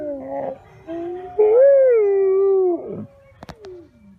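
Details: Wolf giving short, broken howls that build into one smooth, mid-pitched howl lasting about a second and a half, rising slightly and then holding steady before dropping away, followed by a few sharp clicks and a fading low tone.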